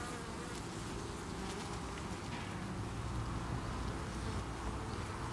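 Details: Honey bee colony at a hive on 8 August 2018, defending against beewolf wasps (Philanthus triangulum) while workers form a chain beneath the landing board to evacuate an insect; a dense, steady low hum of many bees with faint higher flickers.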